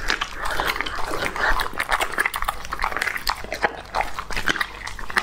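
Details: Crisp bites and crunches, sharp and closely spaced, as Lucky, a young male English-type Labrador, chews raw food indoors. Several louder snaps rise above a softer wet mastication.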